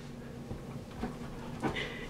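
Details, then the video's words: Standard Poodles play fighting indoors: two short, rough dog vocal bursts with breathy, panting-like noise, set against a quiet room hum. "Play fighting with our standard poodles"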